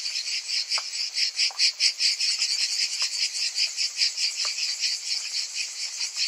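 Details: Cicadas in summer: a dense, high shimmering buzz that pulses about twice a second in a steady throb, with a few faint lower clicks scattered through it.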